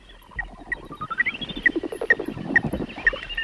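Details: Horseshoe bat echolocation ultrasound, recorded as bats fluttered around the microphone, slowed into hearing range: short, clear tonal pips repeated about twice a second, used to navigate by echoes like sonar.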